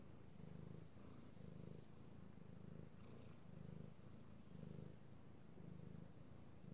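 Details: Petted male kitty cat, recorded 16 March 2018: low rumbling purr rising and falling roughly once a second in a breathing rhythm, steady and close, with quiet room background.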